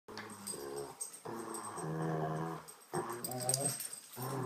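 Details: A Rottweiler playing tug-of-war growls in low, rumbling bursts with harmonic overtones, pausing briefly between each throaty surge.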